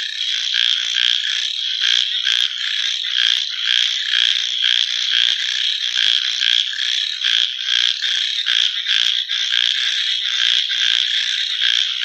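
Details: At night, many frogs call together in a thick, shrill, pulsing chorus, with rhythmic surges of louder rapid clicks roughly twice a second throughout.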